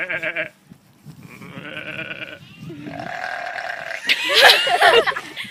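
A young sheep gives several wavering, nasal bleats, with a person speaking softly nearby.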